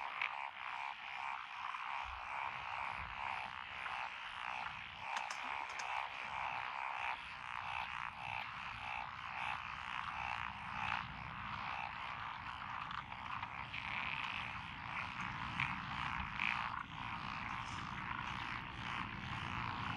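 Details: Dense mixed frog chorus, Japanese tree frogs, pond frogs, wrinkled frogs, Schlegel's green and forest green tree frogs, in lotus rice fields, Echizen, Fukui, Japan, 12 June 2021; unbroken layered trilling and croaking with pulsing intensity throughout.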